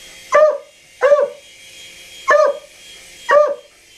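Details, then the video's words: Dog barking at a helicopter: four sharp, evenly spaced barks roughly one second apart, each a short harmonic yelp with a slight downward bend, over a steady faint background hum. "Dog Barks 4 Helicopter"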